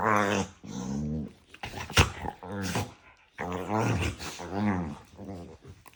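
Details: Two pet dogs indoors squabbling nose-to-nose in playful daily arguments, trading rough growling yaps in drawn-out bursts of about a second each, low and gravelly, with a few sharp clicks and snorts between them.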